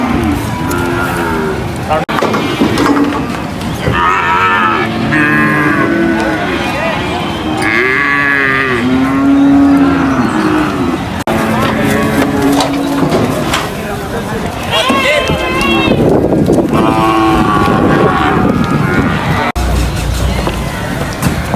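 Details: Cattle coming off a truck at a livestock market moo repeatedly, long arched bellows rising and falling, many animals calling over each other amid loud crowd and market noise, with brief breaks in the sound.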